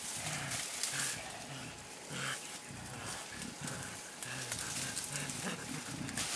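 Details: Mountain gorillas playing, an adult blackback with a young one aged two and a half, Bukima in Congo's Virunga National Park, April 2007; deep throaty grunts repeated in short bouts, mixed with brushing foliage and a steady background hum.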